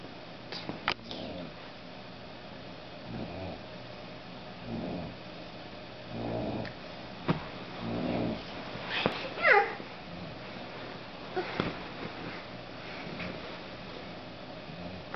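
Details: Ten-month-old female American boxer snoring loudly while asleep indoors: rough, rasping breaths repeating about every one and a half seconds, some louder snorts among them.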